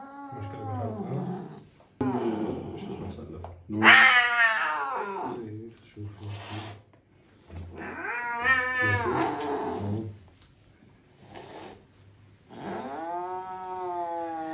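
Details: Angry pet cat yowling in wavering, drawn-out cries, partly overlapped by human speech and background voices, ending with a long steady wail.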